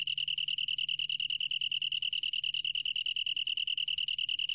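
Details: Long-tailed tree cricket giving an unbroken, bell-like trill of quick regular pulses, around ten each second, high and tonal, with a quiet low-frequency hum underneath.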